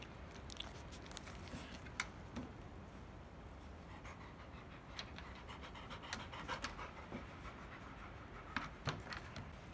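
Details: Heavily pregnant field-type Labrador Retriever shortly before giving birth, belly grown large, panting steadily: soft, breathy, rapid noisy bursts running on continuously, with a few sharp clicks and taps scattered through.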